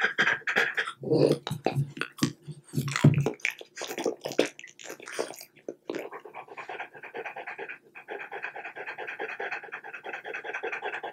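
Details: French Bulldog at home with chicken bite treats; the opening seconds hold sharp chewing and crunching bursts, followed by a long stretch of steady breathy panting.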